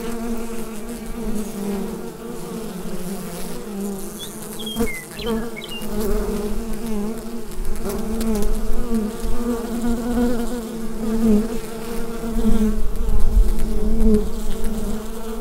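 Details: Steady drone of bees in their hive, captured on a Rode NT-USB microphone. The deep, thick hum rises and falls in loudness, and a few brief chirps from a small bird sound faintly near the middle.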